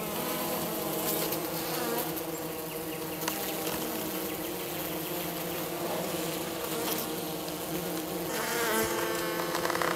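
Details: Honey bees on the first warm day, March 16, at a hive south of St. Paul, Minnesota, hygienic stock removing their dead and feeding on a pollen patty; constant buzzing drone, swelling louder near the end.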